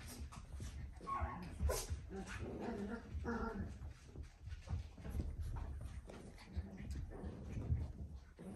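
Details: Papillon dog giving soft, high whimpering and yipping notes in short uneven bursts, over a low rumbling background with human voices mixed in.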